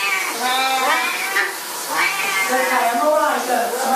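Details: Siamese cats at shower time make overlapping, blurred meows and wavering yowls that run together, with steady hissing noise throughout.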